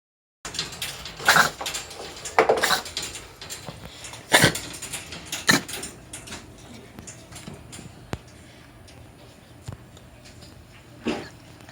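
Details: A pet cat with feline asthma coughs in short, harsh, explosive bursts, about four in quick succession a second or so apart, then fainter isolated ones. Soft clicks and small household knocks sound in between.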